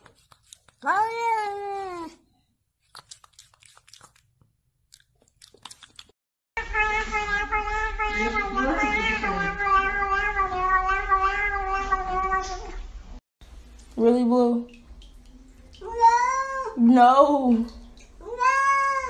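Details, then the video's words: Mewing domestic cats in a compilation: a falling meow, a long stretch of overlapping wavering cries with low rumble beneath, then several short rising-falling meows. "Best Funny Cats Singing"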